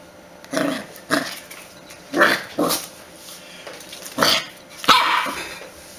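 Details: Puppy barking in a run of five or six loud, rough barks, each about a third of a second long and spaced roughly half a second to a second apart, with a faint steady hum underneath.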